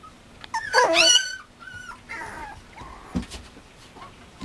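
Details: Male Mame Shiba Inu puppy at a Japanese breeder: a loud, high whining yelp that wavers up and down for about half a second, followed by softer short whines and a faint thump in a quiet room.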